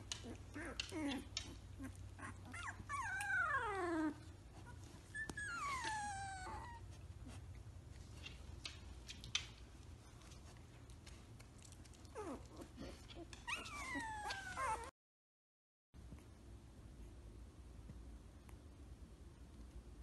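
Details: Samoyed puppies at three weeks old, walking and playing, making a few scattered thin whimpers and sliding whines amid soft shuffling and a low hum, with a brief silent gap near the end.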